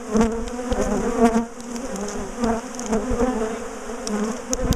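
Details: Large honeybee colony, known for ambushing and chasing its owners down the garden, being dismantled and moved from a top bar hive; a steady, thick buzzing drone with surging bursts and occasional sharp knocks.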